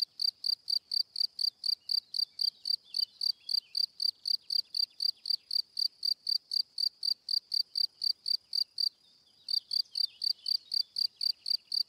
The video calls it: Cricket Sound - Cri Cri - Cricket Singing - mix animals